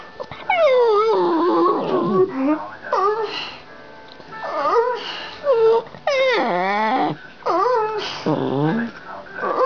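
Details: Talkative pet dog having a chat: varied whining, yodelling howls that slide steeply up and down in short phrases, with background voice and room sounds mixed in.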